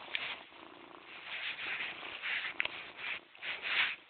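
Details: Morris, a pet cat, purring steadily, a soft rasping hum that swells and fades in gentle waves about every half second to second, continuous throughout with no other sounds.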